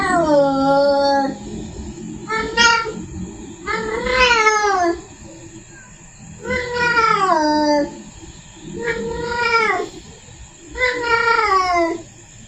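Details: A female cat in heat yowls to summon the tom. The calls are long, drawn-out, complaining wails with a rising-then-falling contour, six in a row, separated by short pauses. A constant thin high whine runs underneath.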